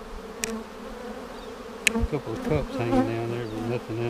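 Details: Honey bee colony droning during a March 10, 2019 check of a vertical split, seven days after it was made with a double screen divider board; steady low hum with sharp clicks and knocks and a man's voice toward the end.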